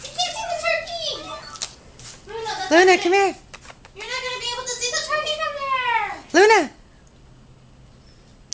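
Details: Luna, a 12-week-old Siberian husky pup, reacting indoors to a turkey seen outside, gives wavering yowls and chattering whines, broken by two sharp upward yelps, then falls quiet for the final seconds.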